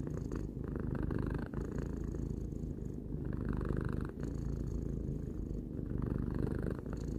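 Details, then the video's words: Three-year-old cat purring contentedly, a steady deep buzzing rumble without pause, gently rising and falling in loudness with its breathing roughly every one to one and a half seconds, soft breathy texture on top. "Cat purring"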